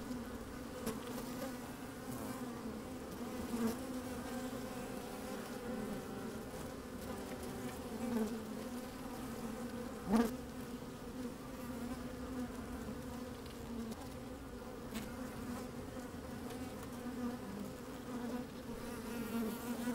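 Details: A colony of honey bees busy in an opened hive, recorded by a microphone slid into the hive on a fine day with some wind: long, even humming drone, one sharp click midway, occasional louder buzzes.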